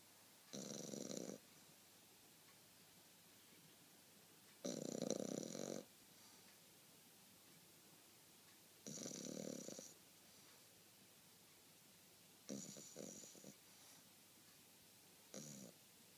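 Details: French Bulldog snoring indoors. Raspy, rattling snores about a second long come every three to four seconds over a quiet, hissy room background.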